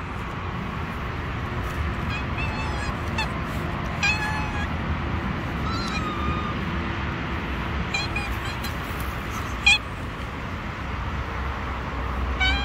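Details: Street-living stray kittens that won't approach a person let out scattered short meows among steady traffic noise, a sharp knock near ten seconds.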